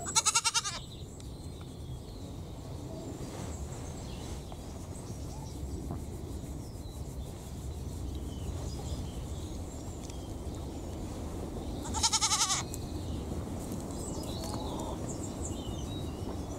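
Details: Young miniature pygmy goats with tiny horns, a pair relaxing and bonding. One short quavering bleat opens, and a second follows about eleven seconds later, separated by low steady outdoor background noise and occasional faint bird chirps.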